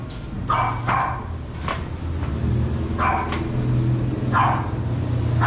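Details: Shih Tzu dogs let out for their morning sunbathe, giving sharp, bright barks in short bursts, about six over five seconds at uneven gaps, over a steady low engine-like hum.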